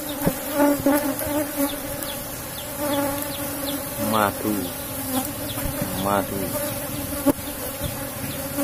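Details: Asian honey bees buzzing in a box hive during honey harvesting; a steady drone under two brief rising whines and scattered handling clicks and knocks.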